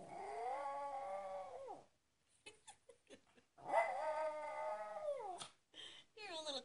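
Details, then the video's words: Pet dog howling in a way likened to a coyote, indoors: two long, wavering harmonic howls that slide downward at the end. A person speaks and coaxes between them. "A dog named kitty howls like a coyote."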